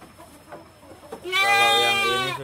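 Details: Female goat in heat calling to mate, kept on a fattening farm in Indonesia: after a low murmur of a man speaking Indonesian, one long, strained, wavering bleat rich in harmonics, held for over a second.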